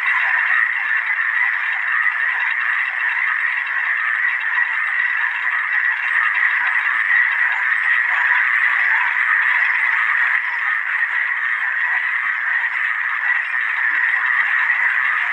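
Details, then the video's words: A dense chorus of many frogs calling together, a steady unbroken wall of rapid mid-pitched trilling croaks that holds the same level throughout, with no pauses and no other clear sounds. "FROG SOUND EFFECT"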